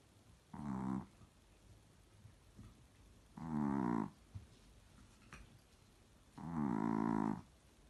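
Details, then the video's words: Pixie, a sleeping Chihuahua, snores in three evenly spaced, buzzy, droning breaths, each about half a second to a second long and roughly three seconds apart, with quiet pauses between. "Pixie the snoring Chihuahua"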